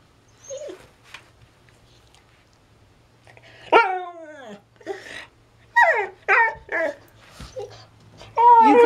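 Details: A female Siberian Husky stuck under a coffee table after getting bored and adventurous gives a long, downward-sliding whine, then a run of short, yodelling woo-woo calls, with a person speaking faintly nearby.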